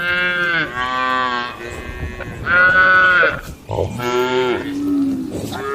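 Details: Tame cattle gathered and feeding in a barn: three loud, strongly harmonic moos in quick succession, each roughly a second long, the last sliding into a lower, fading groan.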